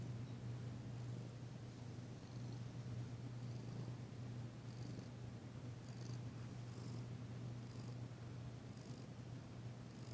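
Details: Female cat Danci purrs during a massage after a second visit from Jurek, still tentative but relaxed; continuous deep even purring hum with faint light clicks scattered overhead.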